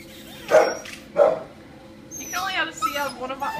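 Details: Neutered male tricolor Shih Tzu, about 13 years old, a stray held at a shelter: two short sharp barks about half a second apart, then a person speaking over a stretch of whining and yipping.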